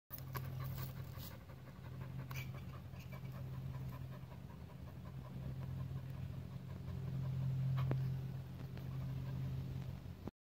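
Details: Dog panting hard while playing tug of war alone, with rapid breathy puffs of about three to four per second running throughout over a steady low hum.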